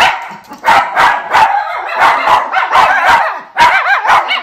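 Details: Lucky and Levi, white Miniature Schnauzer brothers in Aroostook County, Maine, howl and yip together indoors after yard time, a choppy chorus of rapid wavering yelps pulsing about twice a second.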